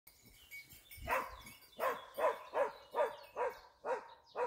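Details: A Dachsbracke dog training on wild boar for hunting gives a quick run of hoarse, evenly spaced barks, about two or three each second.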